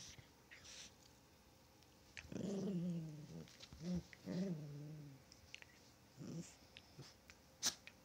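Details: Chihuahua during play, giving drawn-out harmonic growls with a wavering pitch in two main bursts, then a short final grumble, with faint clicks and rustling indoors.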